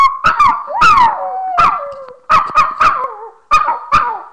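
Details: A singing pet dog, filmed by webcam on March 13, 2011 at 11:01 in the morning, gives a string of about eight short, wailing yelps, each swooping up then sliding down in a whining tone, with brief pauses between them.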